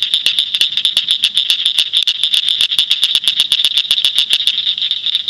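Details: Rapid, dry clicking of a northern cricket frog recorded in Shelby County, Illinois, with sharp high ticks repeated several times a second without a break above a continuous high buzzing chorus.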